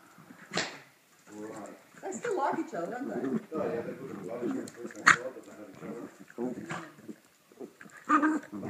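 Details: Two pet dogs, white Chilly and brown Lucky, running wildly around their house; short whines and sharp yelp-like barks break out between steady indoor human chatter, with a loud bark burst near the end.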